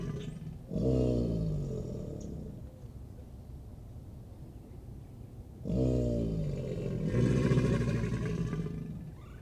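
An American alligator gives two deep, rumbling bellows a few seconds apart, part of its mating behavior.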